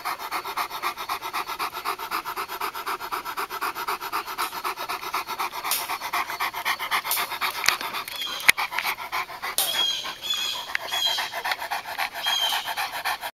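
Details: Purebred Japanese Tosa Inu dogs during mating; rapid, steady panting breaths fill the recording, with a few faint squeaky whines near the end.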